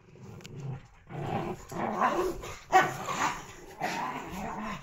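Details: Puppies playing build rough growls into louder, gruff bark-like bursts about every second, one sharp peak standing out, over constant room hiss.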